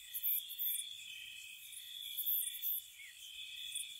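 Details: Gentle crickets on a spring night by a cottage, a constant high-pitched trill with short bright chirps in pairs, otherwise quiet.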